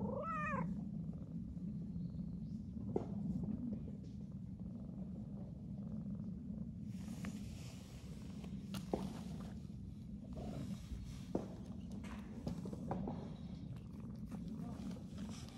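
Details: A stray calico cat, found on the first cat walk of the New Year, opens with a quick meow, then purrs in a long unbroken low hum, with light rustling and scattered taps.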